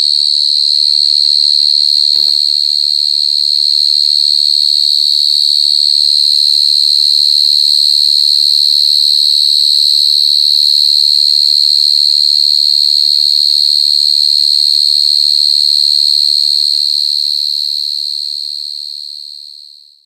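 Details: A mole cricket chirping very loudly gives a loud, unbroken, high-pitched trill that holds steady and ringing.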